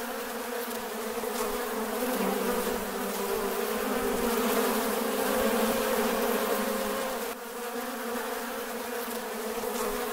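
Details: Farm bees buzzing in a dense, continuous low drone with steady layered hum, softening briefly near the seventh second before swelling again; no other sounds stand out.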